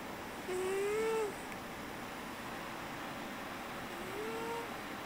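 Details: Glico, a pet cat, snoring while asleep on a computer chair: two soft, rising, whistle-like nasal tones, each under a second long and a few seconds apart, over a low, steady indoor hum.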